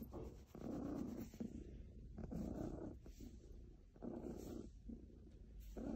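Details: Low, throaty purring from a contented house cat, swelling and fading in uneven breath-length waves roughly every one to one and a half seconds, close up and continuous.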